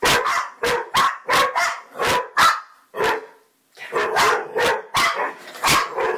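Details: Bracco barking in a rapid run of short, sharp barks, a brief silent pause, then another volley of similar barks at the same quick pace.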